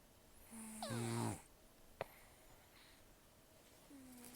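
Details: Sleeping rescued cat Taro, estimated 10 to 14 years old and almost without teeth, gives a single harsh snore with a low buzzing tone and hissing breath, then faint nasal breathing in a quiet indoor setting.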